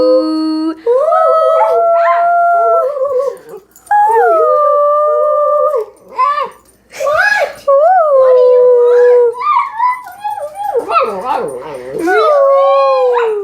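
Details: Pet dog howling along as people sing to it indoors; long wavering tonal howls sliding up and down, mixed with human voices imitating and singing, several pauses between phrases.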